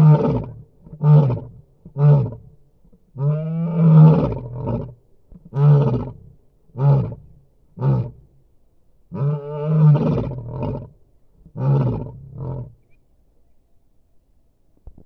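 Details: Male lion in South Africa calling his brothers to join a territorial patrol: a series of deep, grunting roars, a few long moaning ones building into shorter repeated grunts, twice over, then falling silent.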